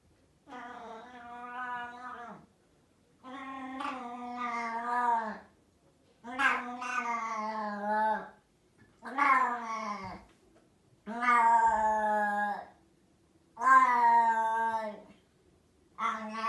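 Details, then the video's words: Loud domestic cat meowing after its food is gone: long, drawn-out harmonic yowls of about two seconds each, seven in a row with short pauses, some wavering and falling at the end, indoors with no other sounds. "Loud Cat talks about his food after it's gone"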